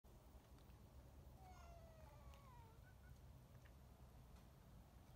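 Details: A senior female Siamese cat in a shelter's enclosed cat quarters in New Mexico gives one drawn-out meow that slides downward in pitch over a steady low rumble.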